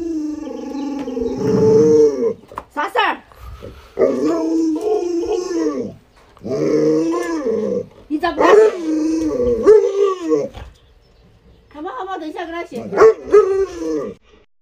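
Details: Luoluo, a pet Alaskan Malamute, reacting as its owner pretends to stew a puppy: drawn-out, wavering, howl-like vocal bursts of a few seconds each, repeated five times with short pauses, mixed with people talking.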